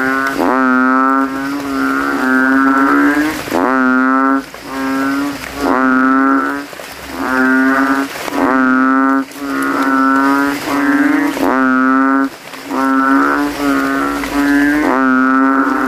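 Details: Banded bullfrogs give loud, nasal, cow-like bleats about a second long in quick overlapping series, calling with inflated throats at night after rain from puddles in a cemetery, competing to be loudest.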